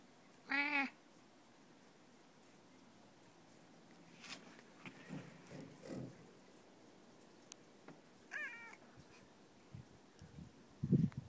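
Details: Domestic cat meowing twice, each call short with a falling pitch, about eight seconds apart, with scattered thumps and rustles between them and a low grunt near the end.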